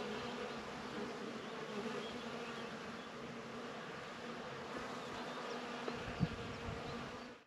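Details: Continuous hum of numerous bees working flowers, a low layered drone holding steady before fading out at the end, with a single soft tap near the close.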